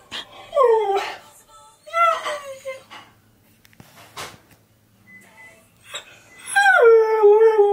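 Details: A husky, reacting to his favourite song being played, howls in long, wavering notes that start high and slide down, with brief yips and whimpers in the pauses; a person speaks briefly near the start.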